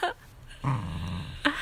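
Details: Dachshund at play with a plush toy, giving one low, rough growl of nearly a second, framed by sharp knocks and thumps of the tussle indoors.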